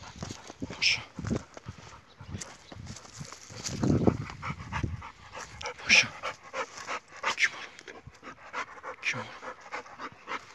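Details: Kangal dog named Paşam, out on a walk with companions, panting in quick breathy bursts that come in uneven runs, with brief human speech and outdoor rustling in between.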